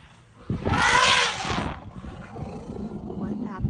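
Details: An elephant at a birth, a baby elephant being born, gives a loud, harsh trumpeting blast lasting about a second, then quieter rumbling and murmuring follow.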